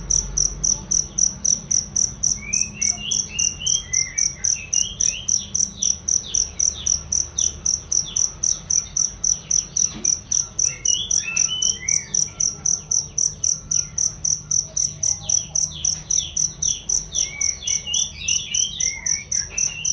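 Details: Cricket chirping, offered as loud, clear training sound for various songbirds: a long, steady train of high chirps near four per second, with occasional bursts of bird twittering and a faint knock midway.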